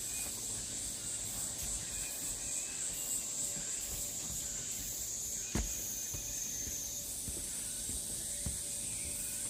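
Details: Along the Deogeumsan Solbaram-gil trail in Namwon, Korea, 16 August 2019, cicadas keep up a sizzling high drone whose pitch steps up near the end; one sharp knock sounds midway amid faint bird notes.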